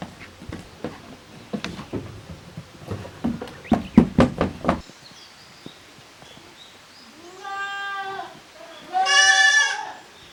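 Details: Goat kids from two family groups, the young of Koharu and of Okayu, playing in an exercise yard at a handmade goat farm in Japan on 13 June 2023; thumps and scuffles first, then two harmonic, wavering bleats.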